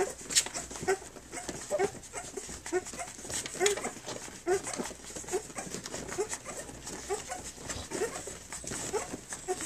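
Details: Three-week-old puppies from Flute's litter, nursing and playing on their three-week birthday: soft, short squeaky notes repeat about once a second over a steady hiss of room noise.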